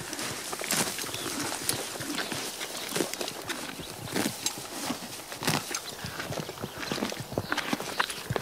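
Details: Horse cropping and chewing grass up close, loud snapping tears of stems mixed with wet crunching chews in an uneven, fast sequence.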